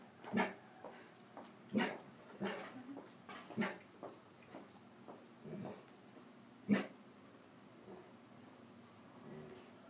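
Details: Bentley, a 10.5-month-old intact 95-lb male Greater Swiss Mountain Dog on a porch, holds back barks at passers-by and makes soft breathy puffs instead: about nine muffled huffs at irregular intervals, some faintly voiced, with a person speaking quietly.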